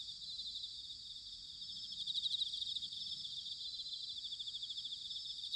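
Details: Many bell crickets trill together on an autumn night in Sanuki, Chiba Prefecture, Japan. The high, tinkling pulsed song forms an unbroken wall of sound that grows a little louder after the second second.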